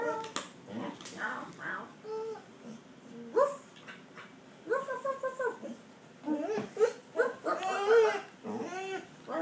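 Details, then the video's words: Border Collie 'talking and laughing' indoors, making a run of short, varied whines and grumbling yowls. Brief bursts come every second or so, some rising and some falling in pitch, with quiet gaps between them. "border collie talking laughing"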